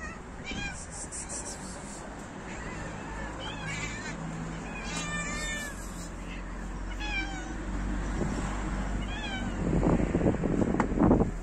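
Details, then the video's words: Male cats fighting each other over females, outdoors: a string of wavering, drawn-out yowls rising and falling in pitch, louder near the end, with steady low rumbling traffic-like background noise. "Male cats fight each other over female cats."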